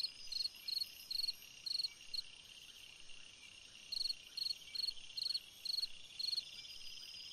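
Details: On a summer night a cricket gives bursts of rapid pulsed chirps, about two per second, pausing briefly mid-clip before resuming, over a constant high-pitched insect hum.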